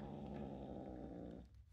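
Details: Foster rescue kitten growling while guarding a toy bunny it refuses to share, indoors: a low, steady rumbling growl held for over a second, then fading.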